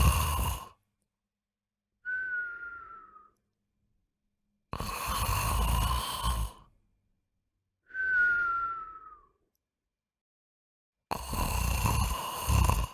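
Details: Sleeping household dog whose nightly snoring is likened to an earthquake: rasping, buzzy snorts alternate with thin, high, slightly falling whistles, each lasting one to two seconds with silent gaps between, repeating steadily.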